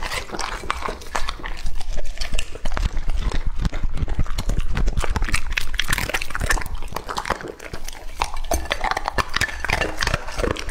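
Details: Lucky, a two-and-a-half-year-old male English-type Labrador Retriever, eats raw meat: dense wet smacking and chewing with rapid irregular crunchy bites, close and loud, steady throughout.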